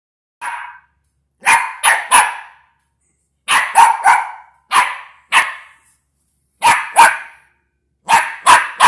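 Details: West Highland White Terrier puppy barking at a box: sharp, bright barks in quick bursts of two or three, with short pauses between bursts, in an otherwise quiet setting.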